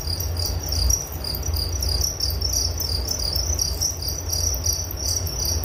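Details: High-pitched cricket chirps pulsing in rapid, slightly uneven bursts from more than one insect, accompanied by a steady deep background rumble.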